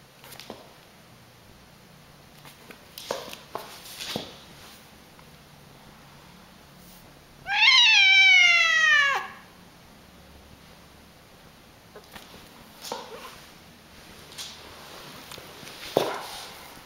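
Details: A single drawn-out meow of about one and a half seconds from a cat said to meow in an unusually funny way, starting high and falling steadily, with faint knocks and rustles before and after.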